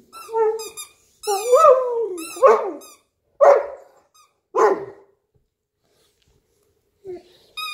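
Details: Newfoundland dog playing with a squeaky toy while lying down on a couch; sharp squeaks of the toy, a drawn-out whining moan, then two short gruff barks and a last faint squeak, indoors with little background noise.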